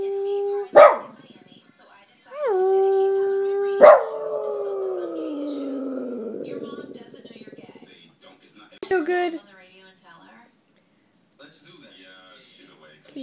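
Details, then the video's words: A Boston Terrier, taught to sing and urged on by its owner, gives sharp yips, then a long howl that swoops up, holds, and slides slowly downward, followed by a short wavering whine and a quieter broken howl. "Boston Terrier Singing!"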